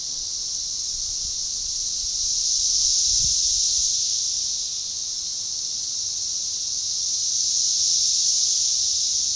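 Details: Magicicada tredecassini cicadas chorusing in synchrony along a baseball trail forest edge near DeValls Bluff, Arkansas, on June 7, 2015; continuous high buzzing hiss that swells in waves roughly every six seconds, with one faint low thud.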